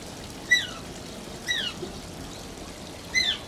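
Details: Three quick falling squeaks, high and thin with ringing harmonics, from Shishimaru, an Asian small-clawed otter kept at Oji Zoo, heard against pouring water.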